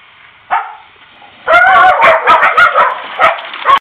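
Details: Dogs on a snow day: a single sharp yelp, then a quick run of high, harmonic yipping barks tumbling over one another for about two seconds, ending on a short squeaky yip.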